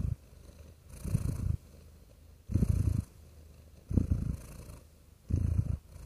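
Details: A real cat purring calmly, deep buzzing rumble swelling in half-second to second-long bursts about forty times a minute, slightly irregular, with quiet breaths between.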